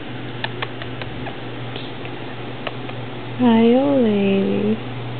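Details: Kika, a Siamese cat recorded in 2010, gives one long wavering meow of about a second and a half. It dips and rises in pitch before ending. Soft clicks and handling noises come earlier, over a steady low hum.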